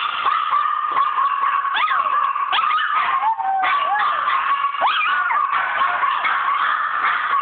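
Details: Chi Chi, a pet dog, howls in a long, wavering, high-pitched voice with rising and falling slides and yelping breaks, holding a steady tone underneath throughout.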